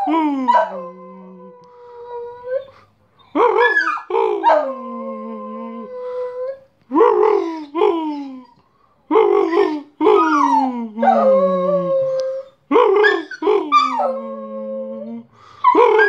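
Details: Bosco, a pet dog, singing while fetching the post: a run of drawn-out howls, each opening with a sharp yelping onset and sliding down into a long, steady, falling tone, repeated every two to three seconds with short quiet gaps.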